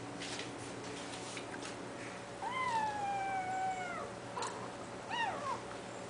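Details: Sphynx kitten at a cattery in playful attack mode, giving one long descending meow of over a second followed by a shorter falling meow, over a steady background hum.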